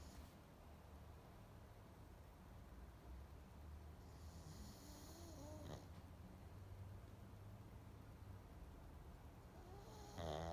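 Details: Low, rough snores from a sleeping pug roll on continuously. Thin whistling wheezes curl up around five seconds, and a louder squeaky nasal snort closes the passage.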